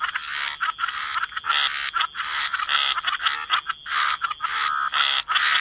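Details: Waterside frogs giving drawn-out, grating croaks in overlapping runs separated by brief pauses, a dense chorus with a high constant tone behind it.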